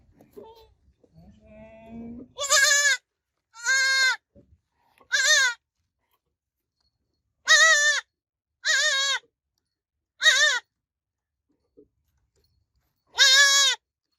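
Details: Baby goat kid bleating: seven loud, wavering harmonic bleats, each about half a second long, spaced one to two seconds apart, with faint low rustling and murmuring before the first call.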